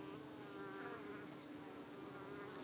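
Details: Hive of UK honey bees chasing off persistent flies that keep returning, possibly parasitic flies. A continuous even drone with a steady low pitch and faint wavering overtones throughout.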